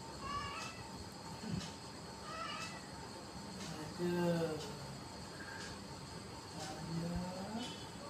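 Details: A domestic cat meowing in short, rising and falling harmonic calls, about four meows spread over eight seconds, against a steady background hum.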